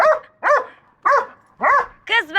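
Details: Pet dog barks at a hedgehog, giving loud, ringing barks spaced about half a second apart, four in a row, then a final higher, wavering bark at the end.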